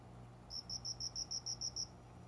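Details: Cricket calling from greenery by a closed window at daybreak in summer; one even train of nine bright, high pulses, roughly seven per second, against a soft steady low hum.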